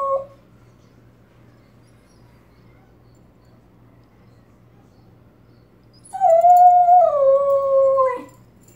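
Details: Miniature Australian Shepherd named Arrow howling at sirens from a nearby highway; after a long quiet stretch, a single tonal howl of about two seconds wavers, then steps downward in pitch, preceded by a brief cry at the very start.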